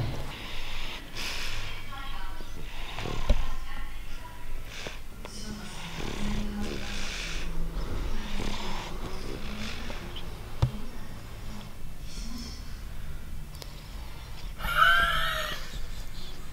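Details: Dollar, a female English Bulldog puppy living in Portugal, snores while sick with a cold and runny nose after five days of antibiotics; low, rumbling snorts repeat indoors under steady conversation from nearby people.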